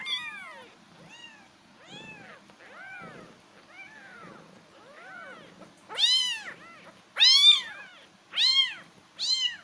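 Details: Kittens meowing in a run of arched, rising-then-falling cries, soft and thin at first, then several much louder, harmonic-rich meows near the end, about fifty per minute, with a faint low hum beneath.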